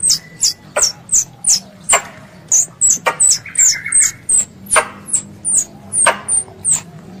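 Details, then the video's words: Squirrel, described as a pest, calling its mother, offered as a lure for ambush hunting: sharp, high, downward-sliding chirps about twice a second, mixed with dry broadband clicks and a faint low hum. "THE SOUND OF A SQUIRREL CALLING ITS MOTHER"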